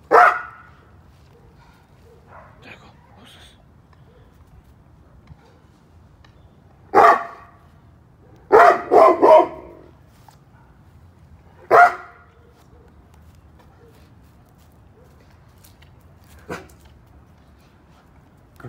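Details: Cane Corso guarding its yard, giving deep, loud barks: one at the start, one near seven seconds, a quick burst of three around nine seconds, another at twelve and a fainter one later, with quiet gaps and a person talking to it.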